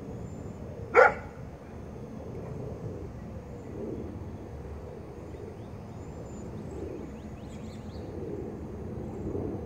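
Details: Male Great Pyrenees at work guarding, letting out a single sharp, loud bark about one second in, followed by a long stretch of quiet with only a low, steady background rumble.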